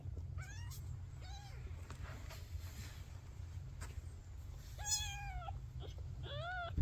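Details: A male Maine Coon kitten, the last of his litter to open his eyes, gives a series of thin, high meows with a steady low hum behind.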